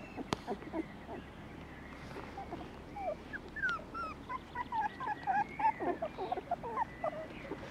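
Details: Border Collie puppies on a French farm, giving many short, high whimpering yips and whines, often sliding up or down in pitch, repeated irregularly several times a second, with faint background noise.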